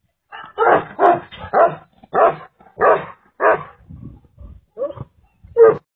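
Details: Huge Tibetan Mastiff barking: deep, loud, hoarse barks in an irregular series of about ten over six seconds, roughly two per second at first, with softer low grunts between later barks.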